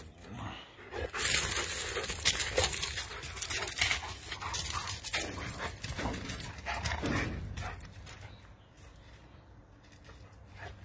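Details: Two German Shepherd puppies that want to walk around, breathing in quick, breathy bursts that repeat rapidly, strongest in the first seven seconds and then fading to soft rustling.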